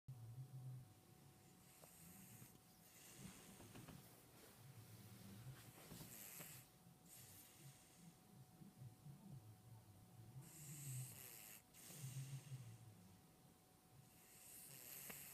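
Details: A sleeping dog snoring: low, rumbling snores recur roughly every two seconds, each with a hissing, breathy draw of air, over a faint steady hum in a quiet room.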